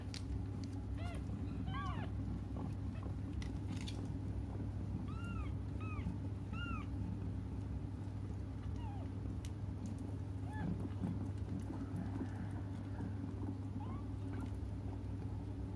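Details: Young cats crying while they wait for their mother: a few short arched mews in a quick cluster near the start, then three more spaced mews midway, over a steady low hum and faint background noise.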